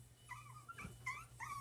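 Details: One-month-old dachshund puppies: thin, high whimpers, several short whines that rise and fall, over a steady low electrical hum.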